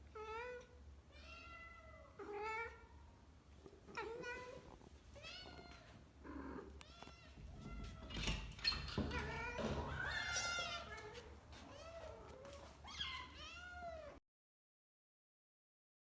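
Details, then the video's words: A mother domestic cat calls her kittens with a rapid series of high, arching meows. "माँ बिल्ली अपने बच्चों को बुला रही है —"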